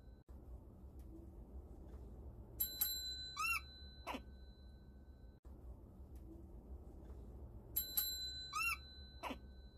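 A prairie dog gives a few quick, arching chirps right after a bright electronic ringtone sounds.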